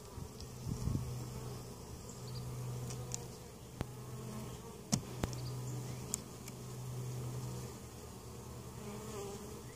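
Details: Opened honey bee hive in Mt. Perry, Ohio, colony weakened over winter and treated for varroa mites; continuous low humming mass of bees, gently swelling and fading, broken by several sharp handling clicks.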